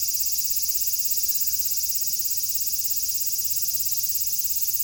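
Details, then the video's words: Summer cicada chorus in Japan, 2022: a loud, unbroken high-pitched buzzing trill with rapid regular pulsing, filling the whole recording. "Sounds of the cicada [ Japan in summer ] セミの声"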